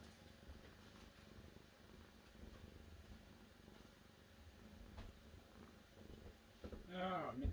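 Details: Faint purring of a cat runs low underneath, then near the end a short, louder tonal sound with wavering harmonics cuts in.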